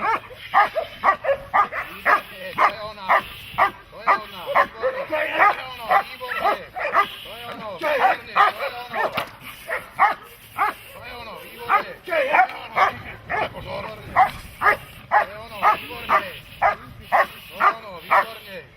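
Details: German Shepherd or Malinois working in protection training, barking relentlessly for nearly twenty seconds at about two barks per second, each bark a forceful arched burst, a person's voice audible beneath.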